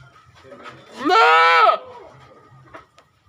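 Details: Goat giving one loud, wavering, nasal bleat that lasts under a second, with faint murmuring and a low hum in the background before and after.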